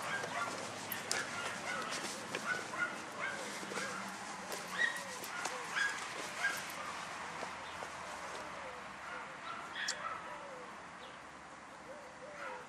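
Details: Dunja, a German Hunting Terrier, on a wild boar hunt, giving irregular barks and yelps, roughly one a second, set against a dense, noisy background, with a few higher yips standing out.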